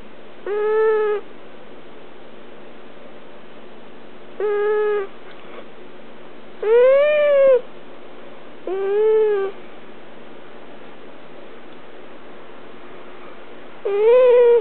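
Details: Domestic cat whining while being held, slightly annoyed but tolerating it: five drawn-out, harmonic, nasal whines spaced a few seconds apart, some rising and falling in arcs, over a quiet background.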